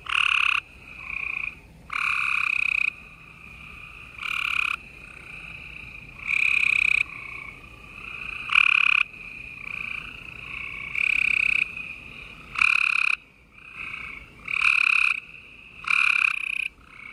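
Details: Gray treefrogs chorusing at night in Houston, Texas, on April 28, 2020: overlapping loud trilled calls, each lasting about half a second to a second, with quieter callers trilling continuously in the background.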